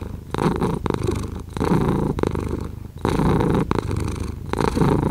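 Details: A cat purrs contentedly, a rough low hum broken into breath-length surges of about one to two seconds, with sharp brief pauses where each breath turns over.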